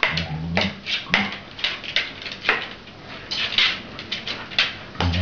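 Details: A female Cardigan Welsh Corgi, excited by light reflections, snaps her teeth together in quick, sharp clacks, with brief human voices.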